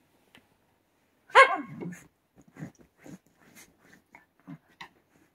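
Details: White Shiba Inu dog indoors, being stopped from digging in bedding; a short, high yelping whine that slides downward, followed by soft scattered rustles and snuffles.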